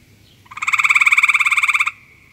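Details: A frog croaking in search of a mate gives a single loud, rapidly pulsed rattling trill of about one and a half seconds, roughly twenty pulses evenly spaced, over a quiet background.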